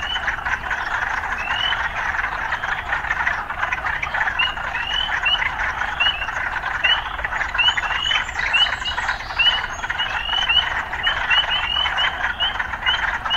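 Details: Frogs in an urban setting, occasional city sounds mixed in: a dense, steady calling chorus with many short, upswept chirps overlapping throughout, repeating irregularly over a continuous buzzing background.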